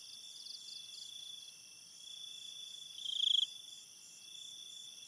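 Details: Crickets at night in a forest by a river: a steady high, thin ringing chorus with one brief louder trilled burst near the middle.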